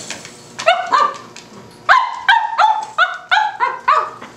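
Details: Cavalier King Charles Spaniel puppy barking at a tuna can: a couple of sharp yips, a pause, then a quick series of about seven bright, high, harmonic barks spaced roughly every third of a second in a quiet indoor setting.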